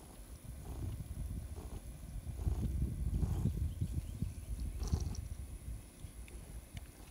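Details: Lulu, a female tuxedo cat, purring while being petted by the one person she loves. A low, rumbling pulse repeats rapidly and swells louder in the middle, with faint rustling of handling.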